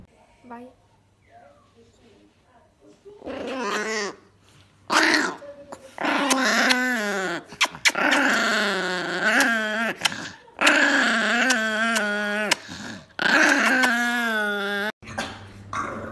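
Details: An angry dog makes loud, sustained growling yowls that bend up and down in pitch, broken into several long bursts. Human speech can be heard at the start.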